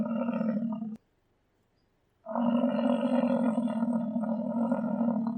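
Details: Deep, droning roar from an American bison: a one-second bellow, a short gap, then a sustained, steady bellow for over three seconds.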